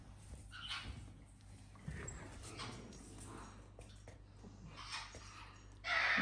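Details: Indoors in a home shared with many pets and exotic animals, young puppies that are already eating on their own whimper in soft, thin, whining bursts every second or two, ending in a louder, sharper cry, over a low hum.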